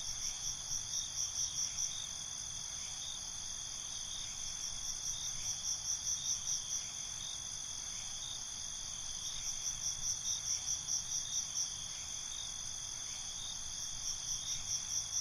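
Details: Night chorus of crickets, a constant piercing high whine under repeated bursts of fast pulsed chirping that come and go every few seconds, each burst lasting around two seconds.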